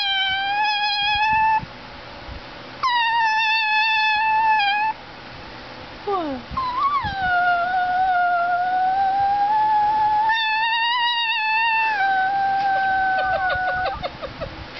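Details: Talking greyhound–Chihuahua mix dog vocalising in a series of drawn-out, wavering howls, some short and steady, one sliding and breaking, with brief pauses and a stuttering ending.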